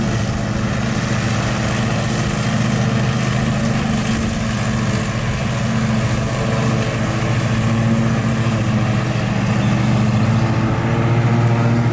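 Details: A steady low engine drone, like an idling vehicle or mower, runs throughout with no animal calls heard.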